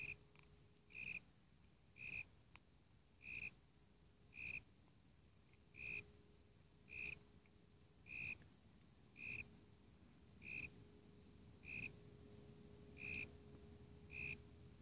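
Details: Warilla imposter cricket (Eurygryllodes warrilla, identification uncertain) calling: short, bright chirps, each a brief buzzy burst, repeated steadily about once a second, with a faint low steady hum in the background.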